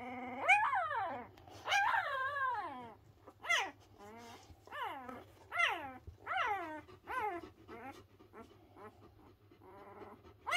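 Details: Three Pyrenean Mountain Dog puppies, not yet a week old, vocalising loudly in complaint: high, arching whines and yelps that rise then drop, repeated roughly every second or so, fading toward the end; steady low hum underneath.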